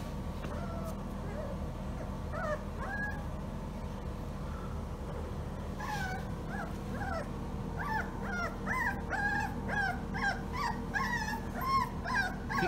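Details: Female German Shorthaired Pointer puppy, a few days old, indoors: series of short high whimpers and yips with rising-falling pitch, growing denser and repeated rapidly in the second half, over a steady low hum, with a person speaking softly at the start.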